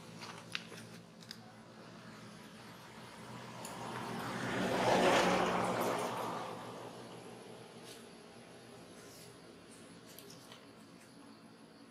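A low indoor hum with a broad whooshing swell, like a passing vehicle, and no animal voice.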